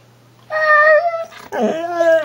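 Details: Pet husky indoors answering its owner in two drawn-out whining yowls, the first steady and higher, the second starting with a rough grumble before sliding into a long tone; a woman coaxes it to talk.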